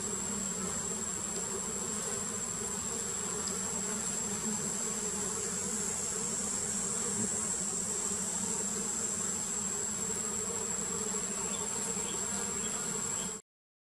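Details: Steady, humming drone of numerous wild giant honey bees (Apis dorsata) as their queen is painted, unbroken for about thirteen seconds before cutting off, over a persistent thin high-pitched tone.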